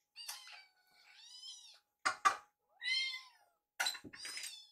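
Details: Baby rescue kittens crying at their meal, Yuki and Piyo sharing food; drawn-out wavering meows with bright harmonics, interrupted by sharp thunks of a dish.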